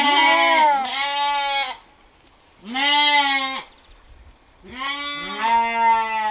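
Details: Sheep (Ovis aries), bleat.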